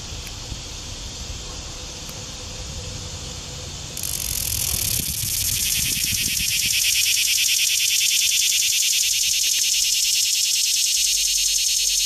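A cicada breaks into a loud, harsh, pulsing buzz that fills the air and holds steady.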